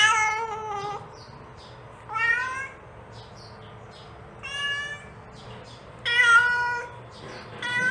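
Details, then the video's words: Mother cat calling kittens with repeated harmonic meows, some falling at the end, separated by short gaps with faint high chirps between them. "The Sound of a Mother Cat Calling Her Kittens"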